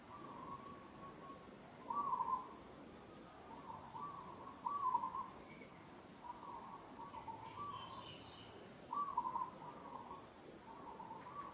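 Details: Struggling young monkey being handled roughly by another monkey in Kampong Cham Province, Cambodia; plaintive tonal cries repeated about every two seconds, some louder and quavering, with faint high bird chirps behind.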